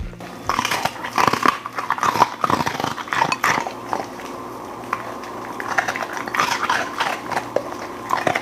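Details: Golden Retriever eating a meal of beef lung, chicken breast, thin-cut steak, duck heads, flying fish and frozen vegetables, with irregular crunching and chewing clicks indoors in a small room, plus a low steady hum.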